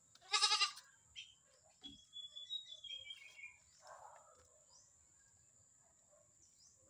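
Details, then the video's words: A Visayan goat kept as a new pet bleats once, a brief wavering cry at the start, then quiet; a thin whistled bird note slides downward in the background. "Ang bago Kong alaga, Kambing na bisaya"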